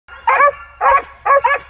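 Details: Male Original Mountain Cur squirrel dog in training, a lightly started young hunting dog; three loud barks in under two seconds, each with a strong harmonic stack and a short gap between.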